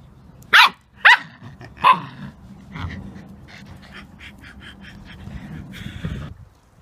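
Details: Halo, a Samoyed playing tug with a rope, gives three sharp, high barks in quick succession, followed by a low, rumbling growl that runs under faint scraping and clicking noises.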